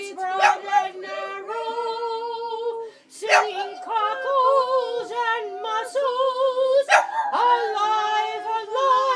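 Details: A female Boston Terrier howls along as a person sings "Cockles and Mussels": long, sustained howls that waver and slide in pitch like a melody, blending with the singing voice.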